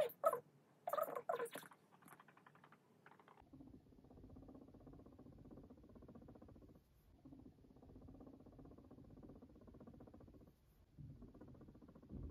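A guinea pig purrs with a low, steady, rapidly pulsing rumble, after a few brief high squeaks.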